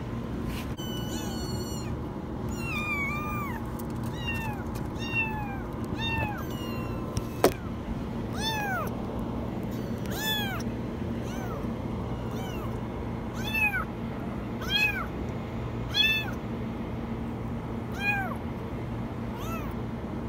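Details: Kitten stuck in a washing machine, meowing very high: a long run of sharp, rising-then-falling mews, coming in quick bursts and then spaced every second or so, over a steady low mechanical hum.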